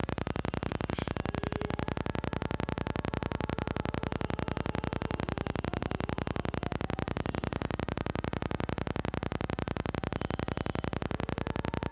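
Steady, rapidly pulsing static fills the recording, with no clear animal voice.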